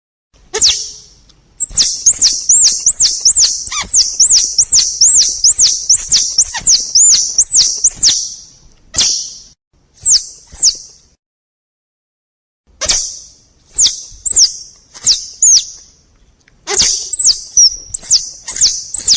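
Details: Squirrel chattering: a fast, steady run of high arched chirps for several seconds, then broken groups of similar squeaky notes after a brief silence.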